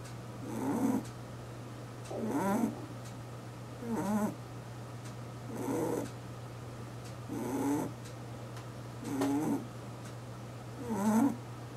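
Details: Sleeping domestic rabbit, eight years old, kept as a household pet; gentle rasping snores come in regular short bursts about every one and a half to two seconds, with a constant low hum underneath.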